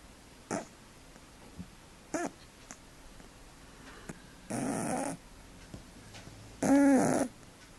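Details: Domestic cat asleep, giving brief soft snorts, then two longer rattling snores with a low tonal hum, the last one loudest, in a quiet room.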